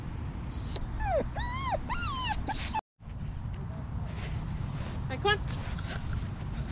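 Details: Dog whimpering while encountering squirrels and birds in a park, recorded from the dog's point of view on a GoPro; a run of high, arching whines sliding up and down, then a brief break, then fainter chirpy whines over steady background rumble.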